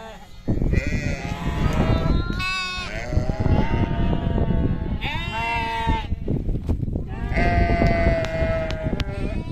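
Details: Sheep bleating in a farm setting: several wavering, nasal bleats rise and fall, some overlapping, in bursts around two seconds apart over a steady low rumble of background noise.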